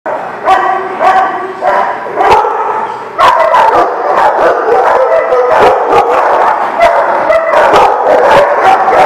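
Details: Several dogs bark together at a dog lot in a continuous, overlapping chorus of sharp barks and higher yips, with a sudden louder surge partway through.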